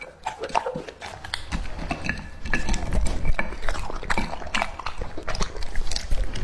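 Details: A two-and-a-half-year-old male English-type Labrador Retriever eating raw meat: wet, irregular crunching and smacking chews in quick bursts, with sharp clicks of teeth over a low background rumble.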